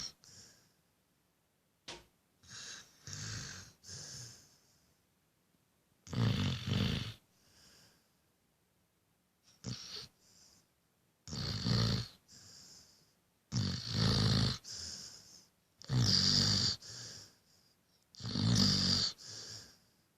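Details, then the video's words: A sleeping Rottweiler-Beagle cross, a "Reagle", snoring: rough, rasping breathy snores come in bursts about every two seconds, roughly nine in all, with quiet gaps between and no other sounds. "ROTTI-BEAGLE REAGLE LIFE! SNORING IN DOG SUMBLERLAND!"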